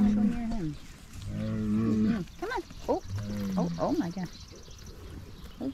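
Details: Excited Highland cattle herd getting fresh grass to eat, a new calf running around; a couple of long, low moos followed by wavering, higher bleating calls, with human speech mixed in.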